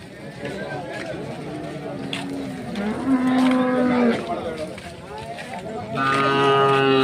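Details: Hallikar cattle at the K G Temple cattle market held every Monday in Gubbi taluk, Tumakuru district; two long, steady, low-pitched moos, one near the middle and another at the end, over market chatter and faint music.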